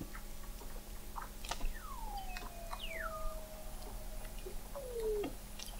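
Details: Weddell seals below the sea ice of McMurdo Sound, Antarctica, recorded by an observatory 21 m deep in November 2017: a long whistle gliding downward then levelling off, a second steep falling sweep, and a brief descending note, amid clicks and hum.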